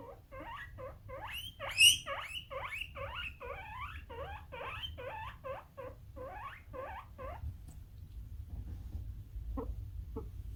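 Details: Pet male guinea pig, born around April 2019, giving its alarm-version squeal: a rapid series of about twenty rising, whistled squeaks, roughly three per second, stopping abruptly, with faint low hum underneath and a couple of soft clicks afterward.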